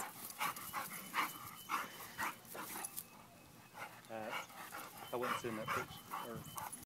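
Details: Playtime with pet dogs Pearl and Lola: a run of short barks early on, then quick stacked whining yelps near the end, mixed with a person calling the dogs "good girls".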